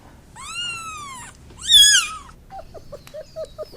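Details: Domestic cat meowing twice: a long, slightly falling mew, then a louder, sharper rising-and-falling meow, followed by a quick run of short, low chirping notes.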